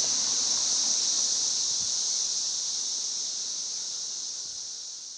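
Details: Missouri 13-year cicadas singing around a house, May 29, 2011: a dense, buzzing high drone with a faint pulsing texture, gradually fading slightly toward the end.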